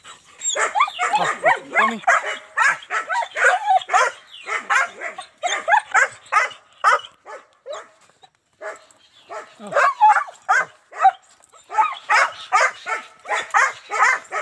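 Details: German Shepherd dogs in Azamgarh, India, one stud male and two females offered in a trade, barking continuously in dense overlapping runs of sharp barks with a short lull midway.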